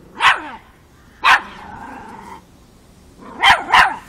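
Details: Miniature Pinscher, five months old, named Chocolina (Chiquita), facing off against a mature cat in Kiev, Ukraine, October 2013. Sharp, high yapping barks: one, then another followed by a steady drawn-out tone, then two quick barks close together at the end.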